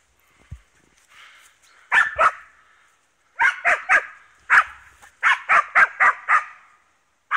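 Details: East Siberian Laika working wild boar on a hunt, giving loud sharp barks in quick bursts, often paired or in runs of three to five, with brief pauses between volleys.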